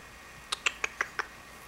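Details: Revy, a pet guinea pig standing on her hind legs begging for wheatgrass, gives five short, sharp squeaks in quick succession, spaced about a sixth of a second apart, in a quiet room.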